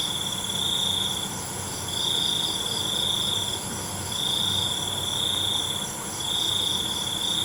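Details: Cricket at night, steady high-pitched pulsing trill delivered in bursts of about one and a half seconds, repeating roughly every two seconds over a faint low background hum.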